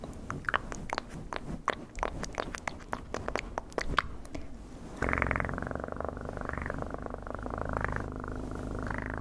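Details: Cat recorded up close for ASMR; rapid ticking and tapping clicks give way to a loud, continuous throbbing purr whose tone swells slightly in repeated waves.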